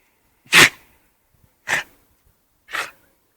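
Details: Dog allergic to humans sneezing three times in quick succession, about a second apart: sharp, breathy bursts, the first loudest, with near silence between them.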